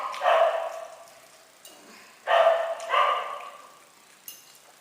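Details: Talking house cat Puzz meows three times: one long, steady cry, then a quick pair close together. A short click sounds near the end in an otherwise quiet room.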